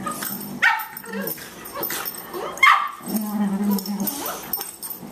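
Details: Boxer puppy Margie, 14 weeks old and 18 pounds, roughhousing with elder Boxer Louie: two short barks a couple of seconds apart, followed by a sustained low growl, with a human voice faintly present.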